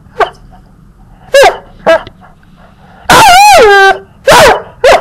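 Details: A puppy being teased gives a few short, sharp yaps spaced apart, then a long drawn-out whining cry that slides downward, followed by two more high barks over a quiet room hum.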